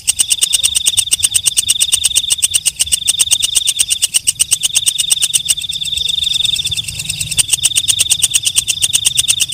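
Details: Nighttime call of a night grasshopper (walang kecek): dense, rattling pulses of clicks delivered quickly and steadily under a piercing high hum. The hum wavers in strength. Faint low-pitched background noise.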